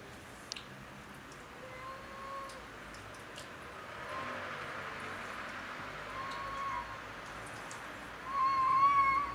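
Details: Cats quarrelling over territory on house roofs; a long, steady, wavering yowl near the end follows fainter drawn-out tones earlier, over a low outdoor background hum.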